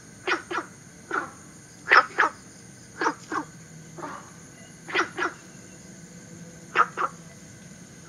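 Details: Günther's frog, a southern China native introduced into Singapore, calling in short, hoarse, barking notes, mostly in quick pairs, repeated every one to two seconds. A steady high insect-like whine hums throughout.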